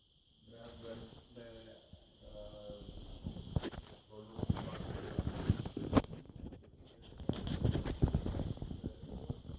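A French Bulldog snores in its sleep, a low, throaty rasp with nasal snorts and wheezy, grunting breaths. The rhythm is uneven, with some louder snuffling bursts between quieter stretches.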